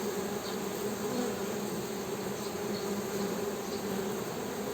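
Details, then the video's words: Honey bees humming in a steady, continuous drone with a low buzzing tone that holds level throughout, with faint high chirps in the background. "HONEY BEE'S HUMMING SOUND"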